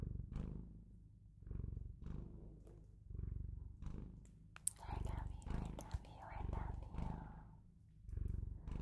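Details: Purring from a Bengal cat, deep and rhythmic, rising and falling about every second and a half, with soft rustling and faint whispering in the middle.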